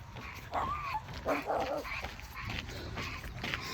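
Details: Dog barking outdoors during a walk with Bokdori as he meets a group of five neighbourhood dogs: a loud bark with a falling tone, then several rough, clipped barks in quick succession over steady background hiss.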